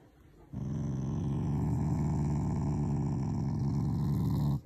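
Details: Shiba Inu growling out of affection, not anger, at its owners: a single continuous deep rumbling growl lasting about four seconds, with a pulsing texture.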